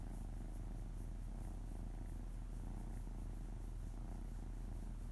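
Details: House cat purring as its tummy is stroked gently, paws patting; constant low rumbling purr with quick rhythmic pulses and no other sounds.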